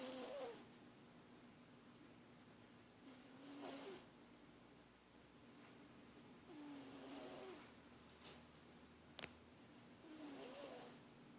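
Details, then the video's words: House cat that always snores, captured quietly indoors: faint breathy snores recurring roughly every three seconds, with a single sharp click midway and steady low hiss. "The snoring cat"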